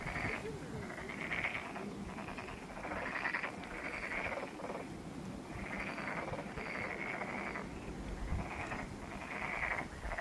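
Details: Frogs at Monet's Pond, Ulsan National Garden, South Korea, call in a ragged chorus. Buzzy trilled croaks arrive in distinct bursts, each about a second long with short pauses between, over faint low rumble.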